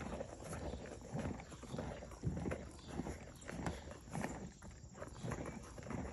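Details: A Morgan horse mare eats her grain, chewing in steady, crunchy, grinding bites that repeat in an uneven rhythm.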